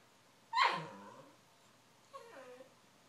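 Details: Mo, a Cavalier King Charles Spaniel, turns grumpy because he wants to go outside to play. He gives a loud, harmonic grumble that slides steeply downward and fades. About one and a half seconds later comes a softer, shorter moan, in a quiet room.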